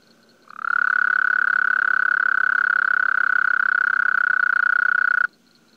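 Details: Frog giving one long, steady, even trill, a fast stream of pulses held for almost five seconds, starting and stopping abruptly against a quiet background.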